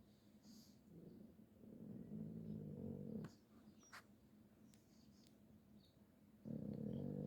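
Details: Pug playing, giving low, soft growling rumbles in two long stretches separated by a quieter pause with faint clicks and handling noises.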